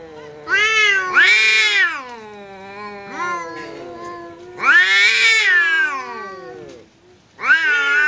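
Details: Domestic cat facing off with a visiting cat in a fight, trading loud caterwauling wails that swell, dip and break into new bursts roughly every few seconds, with lower moaning growls between them.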